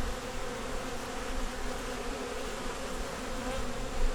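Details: Winter nuc of honey bees working to get through the cold, headed by a yellow queen: an even, continuous low humming drone with no voices, holding steady throughout.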